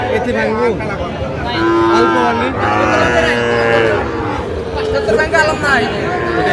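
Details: Sahiwal bull calves for sale at a market in Faridpur, Bangladesh, 23 June 2025, low mooing in two back-to-back calls of about a second each, set against busy crowd talk and bargaining voices.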